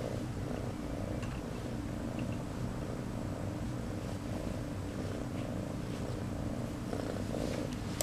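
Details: New kitten Piper purring loudly and continuously, a deep motorboat rumble pulsing in a regular rhythm of roughly one and a half beats per second, indoors.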